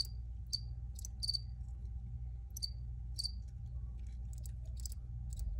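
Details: Cricket chirps, a handful of sharp high notes spaced unevenly over a few seconds, some with a brief ringing tail, above a low steady hum.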